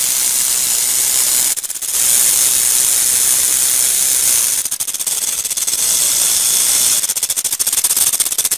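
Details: A rattlesnake's continuous hissing buzz, interrupted three times by short stretches where the rattle slows into audible separate beats.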